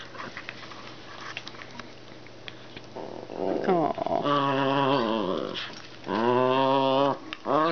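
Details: Siberian Husky indoors playing with a Chihuahua Yorkie cross, giving drawn-out whining howls with a wavering, bending pitch, two long stretches in the second half, after some rougher grumbling; a faint room hum runs underneath.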